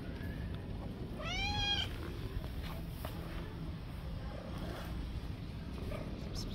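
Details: A tabby street cat gives a single drawn-out meow, bending up then down with bright harmonics, over a low background rumble, with a few faint softer sounds afterward.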